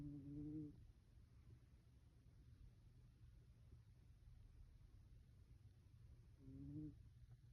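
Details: A sleeping Bengal cat gives tiny, soft snores. Two brief, faintly tonal, purring-like snore sounds come near the start and again about six seconds later, with a quiet indoor room between them.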